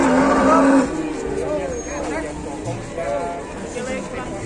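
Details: Cattle at an Indonesian livestock market where a cow cannot stand and onlookers show concern: a low, steady, droning moo fills the first second, followed by busy market chatter, overlapping voices and passing vehicles.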